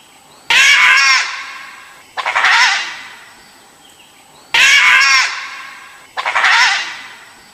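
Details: Loud raspy screeches from an Asiatic wild dog, or dhole, four calls in under eight seconds. Sudden strident cries alternate with stuttering, chattering ones, each dying away within about a second; a faint high whine persists throughout.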